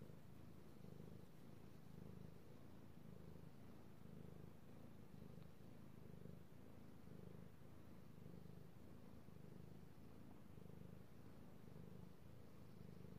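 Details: Male domestic cat being petted, recorded 3/16/18, giving an unbroken deep purr that rises and falls in regular breath-paced pulses about once a second, with no other sounds.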